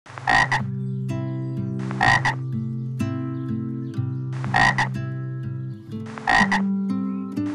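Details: Frog croaking over steady plucked guitar or ukulele music: four short, broad, loud croaks roughly every two seconds, each a dense burst with bright upper bands.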